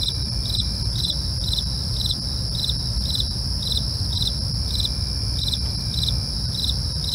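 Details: Steady chorus of crickets at night: brisk, metronomic high chirps roughly every 0.4 seconds, a constant shrill drone above, and a dull low rumble in the background.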